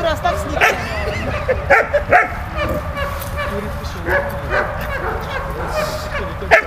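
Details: Dog Malta in play with Bulat, producing a handful of short barks and high yips, notably near 0.6, 1.8, 2.1, 4.5 and 6.5 seconds, between stretches of softer whining.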